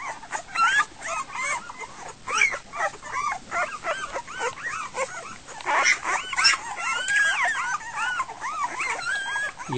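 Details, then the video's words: Week-old Goldendoodle puppies crying at dinner time when the mother steps away, a dense chaotic chorus of arched, whining squeals and yelps overlapping continuously, with a brief human voice near the end. "Goldendoodle puppies - dinner time"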